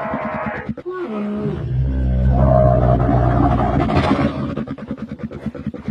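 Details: Camel calling with a deep, throaty bellow that swells into a long, low roar, then breaks into rapid rattling, gurgling pulses as it fades.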